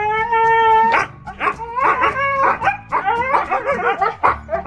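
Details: Two 18-week-old Siberian Husky puppies trapped under a house: a long steady howl-like tone, then rapid bursts of high yips and whines tumbling over one another, with music playing behind.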